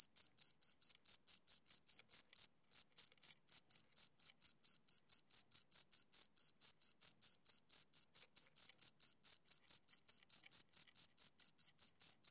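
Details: High, thin chirping of two crickets, a long regular train of short pulses near four per second, broken by one brief pause early on, in silence otherwise.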